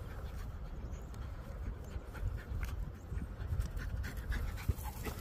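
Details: Female Jack Russell Terrier, 7.5 years old and untrained, playing a ball-balancing game she invented herself. She pants softly and quickly, in faint breathy bursts, under a low background rumble.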